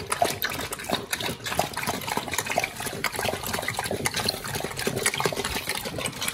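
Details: Raw-fed pit bull pair tearing into raw quail and giant sea bass skin, a prey-model meal; loud, wet, squelching mastication with rapid crunchy snaps, nothing else audible.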